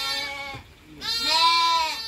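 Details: Lamb born at midnight bleating twice, a short nasal cry followed after a brief pause by a longer, louder, strongly harmonic bleat.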